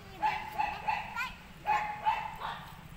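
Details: A golden retriever puppy in Chennai gives about seven short, high-pitched yips and squeaky barks in three seconds, unevenly spaced, over a low background hum.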